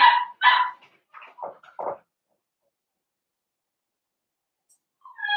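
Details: Blenheim Cavalier King Charles Spaniel puppy from a New Year's litter of five, on pick-up day for Theo: two loud high barks open, followed by a run of shorter, lower yelps and whines, a quiet gap, then a rising whine.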